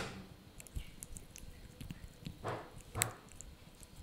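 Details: A male Yorkshire Terrier puppy chews a dried bunny ear noisily, with wet crunching and clicking bites at irregular intervals.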